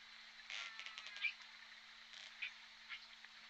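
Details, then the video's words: Underwater recording of J Pod orcas at the Point Robinson hydrophone, December 14, 2021: two short buzzy pulsed bursts with brief squeaky notes between them, set against constant water hiss and a low steady hum. "Point Robinson Hydrophone J Pod Orcas"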